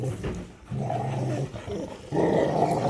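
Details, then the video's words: Angry Rottweilers fighting while another dog, Daud, tries to stop it: throaty growls come in three bursts, with a brief pause between them and the last burst the loudest and harshest. "বিশাল যুদ্ধ হলো Rottweiler এর"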